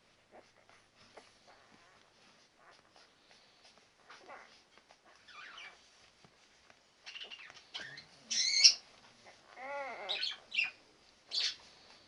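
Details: Newborn Labrador Retriever puppies, ten days old, Tori's litter: soft scattered squeaks build into louder arched, wavering squeals near the end, in short bursts with quiet gaps.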